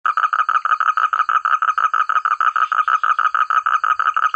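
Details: Frogs calling together in rice fields in the countryside, a loud, clear chorus of rapid, evenly repeated croaks, about three pulses a second, steady throughout with a faint high insect-like whine in the background.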